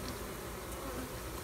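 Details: Bees fanning their wings with abdomens raised at a hive during a check on a new queen. A thick, continuous low buzz fills the short stretch, steady and unbroken.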